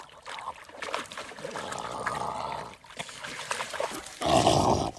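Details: French bulldog attacking logs on a riverbank: rough, noisy growling through the middle, then a loud harsh harmonic burst near the end, with water trickling throughout.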